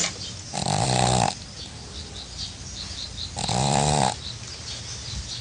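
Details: Snoring pug, two long rattling snores, each under a second, spaced roughly three seconds apart, harsh and buzzy over a deep drone, quiet breathing and light background hiss between breaths.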